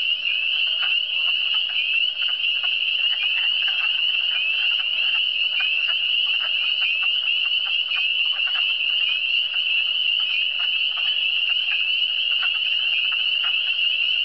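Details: Eastern Townships frog chorus, a relaxing wall of sound: shrill, evenly sustained trilling from many frogs, dotted with brief lower clicks and croaks.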